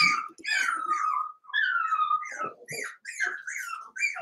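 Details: Eight Cavalier King Charles Spaniel puppies indoors, six from one litter merged with two from another, playing together; high whines and squeals sliding downward, overlapping yelps from several pups in a small room.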